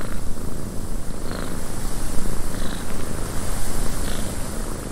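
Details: Loud, rumbling cat purr in a windy cabin, throbbing in quick regular waves over a deep vibrating drone, with a few faint soft high sounds.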